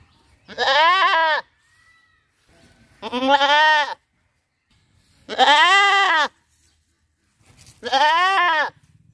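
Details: Four strong, quavering goat bleats recorded in a riverside village, each a rich, nasal 'baa' that rises and falls over about a second, separated by quiet pauses of a second or two.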